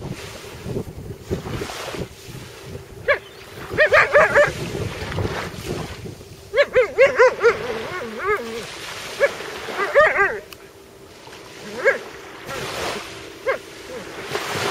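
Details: Malamute reacting to a sea robin it found, with short bursts of wavering, tuneful whines around four, seven and ten seconds, separated by pauses, over a constant rushing background.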